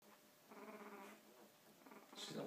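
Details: One-week-old Olde English Bulldogge puppies: a thin, harmonic squealing whimper lasting about a second, followed by softer, fainter cries and a brief rustling noise at the end.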